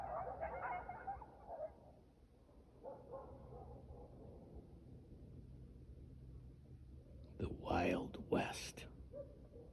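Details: Coyotes howling at a lake near a house on the evening of January 26, 2025: distant high, wavering yips and howls in the opening two seconds, a fainter burst near three seconds, then a loud close rustling noise around eight seconds.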